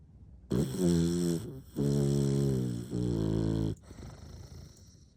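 An English bulldog snores in long, rumbling, harmonic-rich breaths.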